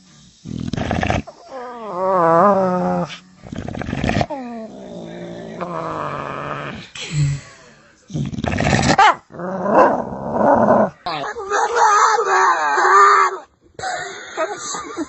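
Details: Domestic dog making funny, weird sounds and answering when spoken to: a series of wavering, moaning howls and whines with growly, grumbling bursts. A man talks to it between the sounds.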